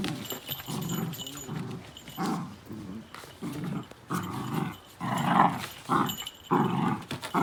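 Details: Miniature Dachshund, a pet dog, reacting to dog sounds from the TV or outside: low rumbling growls in bursts about once a second, rising into a few sharper barks toward the end.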